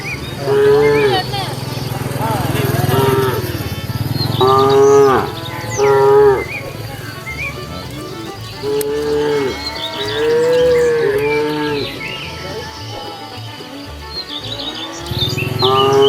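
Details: Cows wandering leisurely along a road looking for food, giving a long run of drawn-out harmonic moos, some rising then falling, about seven calls in sixteen seconds, with a low rhythmic background thump throughout.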